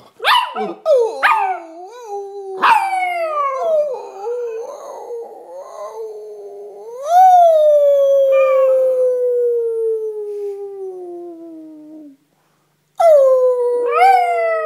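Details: Chihuahua mix howling along with its owner: sharp yelping onsets open each phrase, then a long, smooth howl that slides slowly downward for several seconds, breaks off into silence, and starts up again with a high wavering cry.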